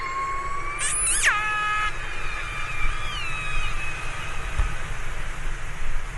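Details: Orca calling underwater: a harmonic, tonal cry that climbs and then jumps sharply upward in pitch before dropping back, followed by fainter drawn-out whistled tones over a steady low rumble of ocean noise.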